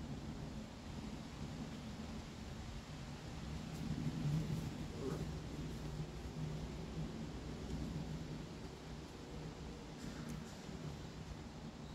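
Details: Quiet low rumble and soft rustling throughout, a slight swell near the middle, with no distinct animal sounds.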